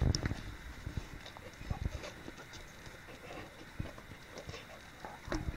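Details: English Springer Spaniel eating watermelon, recorded 2015-08-11; quiet, irregular wet chewing and crunching clicks come in quick bursts throughout, over a low background rumble.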